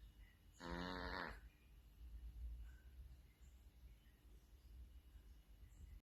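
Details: Cat snore heard once near the start, a harsh, buzzy breath lasting under a second, followed by quiet room noise with a low rumble.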